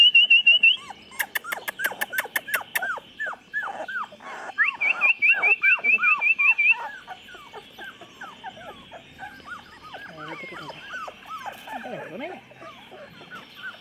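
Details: A litter of 24-day-old chocolate Labrador puppies whimpers in a busy chorus. Many short squeaky cries overlap and fall in pitch, with a fast run of higher chirps and some clicking noises near the start.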